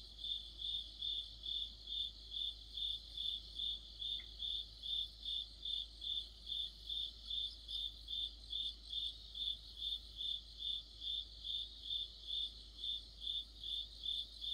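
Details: Crickets joined by other insects in an autumn chorus under a street lamp, a clear high-pitched chirp beating steadily about two and a half times per second over a quiet hissing background of distant trills.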